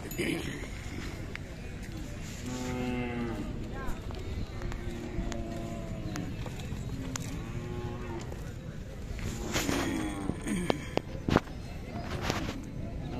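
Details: Khillar cattle at the Sangola cow and bullock market on 12 May 2024. Several long, low moos, each drawn out for a second or more with a rich stack of harmonics, come in separate bouts over market chatter and nearby voices.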